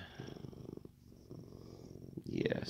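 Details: Contented male Siamese cat purring steadily, a low rapid rumbling pulse that runs for about two seconds before a woman's voice cuts in near the end.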